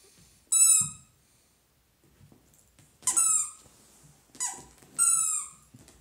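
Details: Happy Dachshund indoors giving high-pitched squealing whines, three bursts with a long pause after the first, each sliding slightly downward, in a quiet small room.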